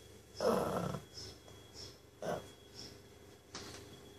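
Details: Pug asleep, giving one loud rough snoring breath, then a shorter softer snort and faint wheezy puffs in a quiet room.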